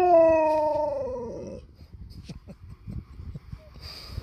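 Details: Alaskan malamute howling when his paw is touched: a loud harmonic howl that slides slowly downward and fades over about a second and a half, followed by quiet rustling and a short hiss near the end.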